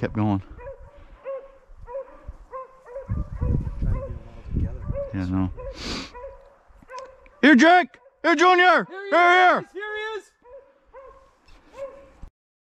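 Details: Beagles rabbit hunting in upstate New York, February 2023: a steady run of faint, distant yelps, then several loud, drawn-out bawling howls in quick succession, with rustling footsteps and some human voices.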